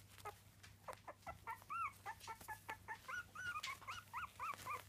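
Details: Three-week-old Miniature Dachshund puppies squeaking amid rustling and shuffling, thin arched whimpers coming fast, clearest and most regular toward the end.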